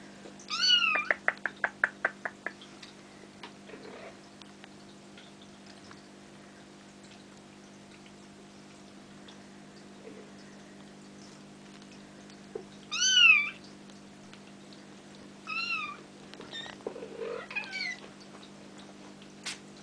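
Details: Almost five-week-old Bengal kittens at play indoors, a quick run of clicking, chirpy mews at the start, then a few scattered thin, high, arching mews later over a constant low room hum.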